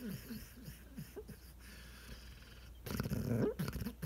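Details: Sleeping coonhound dreaming on a couch in the morning: soft low snuffling snores and snorts in a loose rhythm, then a louder, rougher burst of snorting breaths near the end.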